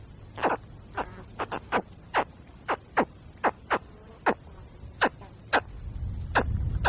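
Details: Spectacled caiman cub in the wild gives a steady series of brief, clipped chirps, roughly two per second, about fourteen in all, with low background rumble building toward the end.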